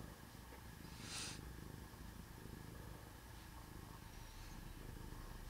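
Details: Low, continuous purring rumble from a sleeping cat, pulsing evenly, with a short bright rustle-like burst after about one second and faint hiss behind.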